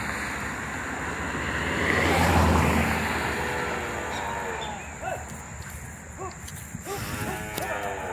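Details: Dairy cows on a small farm while calves are separated from them: short, harmonic moos rise and fall near the end, over a broad engine-like rumble and steady background hiss.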